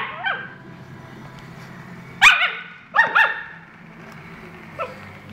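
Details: Tequila, a husky, gives a soft whine, then a pair of sharp barks, another double bark, and a final faint yip, with quiet gaps between against a low room hum.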